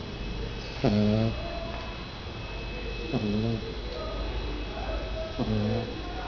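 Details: Snoring from a Shar Pei puppy named Thor, only 49 days old and described as very lazy. Three rough, droning snore breaths, about two to two and a half seconds apart, rising slightly at the start over a faint constant hum.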